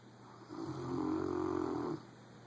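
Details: A pet Rottweiler snores loudly, one long rough rasping breath in a low muffled drone.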